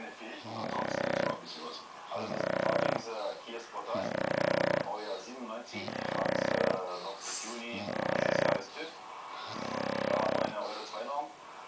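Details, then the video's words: Emma, a female English Bulldog in deep sleep, snores loudly, each rasping, nasal breath repeating about every two seconds. "Emma, The English Bulldog Snoring!"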